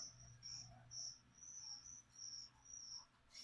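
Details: Live feeder crickets, dusted with vitamins before being given to a pet leopard gecko, chirp in a steady run of high, buzzy pulses, roughly two per second, over a soft indoor hum.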